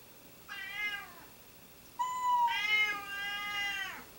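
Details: Domestic cats meowing persistently indoors; a short falling meow, then a long, loud, drawn-out wavering meow lasting about two seconds, rich in harmonics, with a quiet background.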